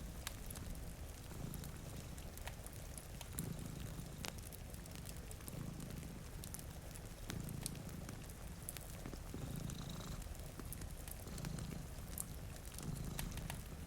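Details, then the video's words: Two cats sleeping in front of a rainy window beside a cozy fire, one purring steadily in low rumbling cycles that swell roughly every one and a half to two seconds, with crackling fireplace pops and soft rain throughout. "Purring Cat"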